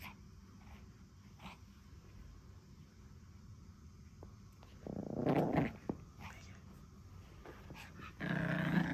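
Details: Pekingese puppy guarding a monkey doll during play, growling in a fight over the toy; quiet shuffling at first, then a sustained rough growl, a pause, and another loud growl burst.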